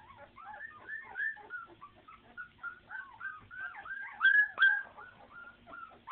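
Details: Puppy whimpers come in short, rising and falling squeaks, fairly clear and close, roughly two or three per second, swelling into louder, higher cries near the end.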